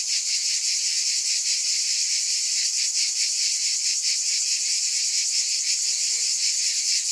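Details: A continuous wall of cicada buzzing, shrill and even, with a slight rhythmic pulsing; a faint short low sound near the end.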